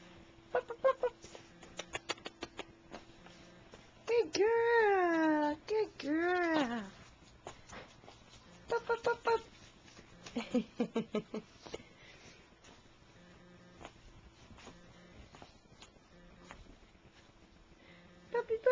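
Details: Female puppies playing together indoors in a living room give a series of high, wavering whining yelps that rise and fall, alongside short sharp clicks and a woman's encouraging voice calling to them.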